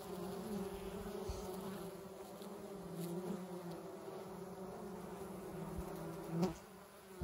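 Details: Honey bees hum in a steady, low drone that holds an even pitch throughout; recorded October 10, 2021.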